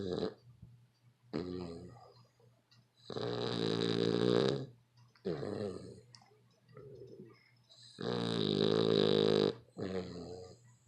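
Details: A dog snoring very loudly: long, harsh, rasping breaths of one to two seconds each, some with a rough nasal buzz, separated by short quieter gaps, with no other clear sounds.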